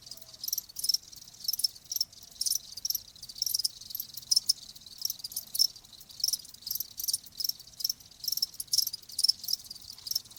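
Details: Steady run of rapid, shrill cricket chirps lasting about ten seconds, with bursts following one another closely in a fast, slightly irregular pulse.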